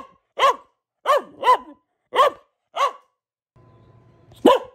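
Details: Pet female Boxer giving single sharp barks spaced roughly half a second to a second apart, six in all, with a faint low hum before the last one.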